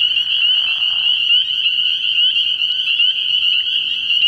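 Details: Spring peepers in full chorus at a frog pond at night early in the year; a steady piercing high band of overlapping peeps, with a brief lower rasping burst during the first second.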